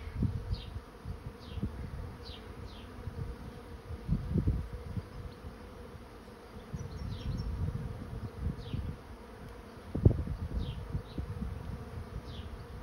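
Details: Honey bees settling into a swarm trap give an even, buzzing drone. Low wind buffets come and go, with a sharp knock near the end and sparse, falling bird chirps overhead.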